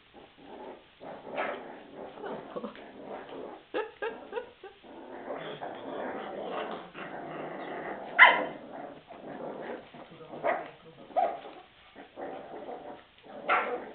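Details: Hungry puppies indoors giving a busy run of short whimpers, yelps and low growls in uneven bursts, with a sharp louder yelp partway through; the tone is nasal and mid-pitched, and a person speaks Hungarian nearby.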